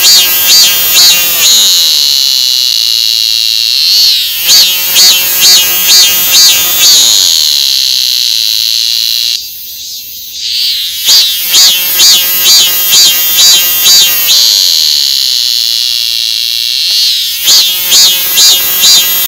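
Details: A loud cicada alternates long runs of rapidly pulsing, rasping notes with brief steady whines. The pattern repeats several times, with one short quieter gap midway.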